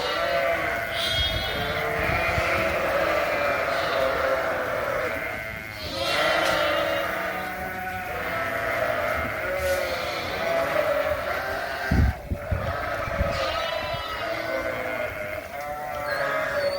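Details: Mixed groups of Suffolk lambs filling a barn, racing around with the extra space, bleating constantly in a many-voiced chorus of wavering, overlapping calls, with a brief knock partway through.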